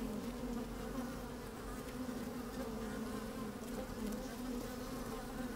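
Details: Honey bees busy at work inside an opened hive on a fine, sunny day, microphone slid down among them: a steady, dense hum with a strong low drone and overtones, moving bees and occasional louder buzzes, little change throughout.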